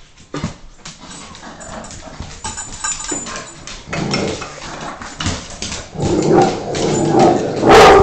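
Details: An American Staffordshire Terrier gives rough barks and whines while a person urges it on ("go get it"), in rough play with a Boston Terrier.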